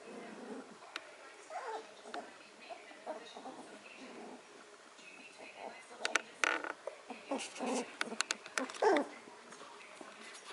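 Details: Vizsla puppies from the Gods litter, recorded 10/21/13, playing on a living room floor with their mother nearby; short, high whimpers and squeaks break out now and then amid rustling and a person's voice.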